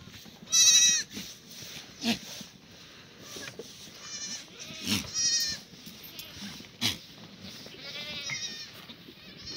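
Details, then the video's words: Black goats on a farm in Gimhae, South Korea, on a cloudy Friday morning in April 2019, bleating in short harmonic bursts at intervals, with faint chatter and farmyard noise behind. "Cloudy Friday Morning On the Goat Farm by Sunny's Black Goat"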